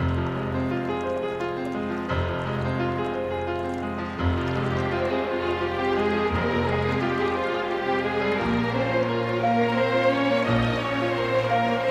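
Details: Steady instrumental music with layered sustained tones and soft rain-like texture, with no animal voice present.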